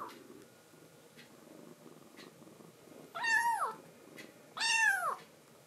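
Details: A rescued foster kitten, Momiji, gives a cute threat to another kitten, Kuromame, to keep a man's lap to herself indoors: two loud, bent, downward-sliding meows near the end, after soft clicks and faint room noise.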